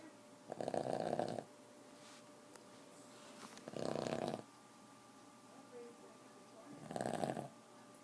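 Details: A 4-year-old Boston Terrier snores in slow, rasping breaths, one roughly every three seconds, keeping its owners awake.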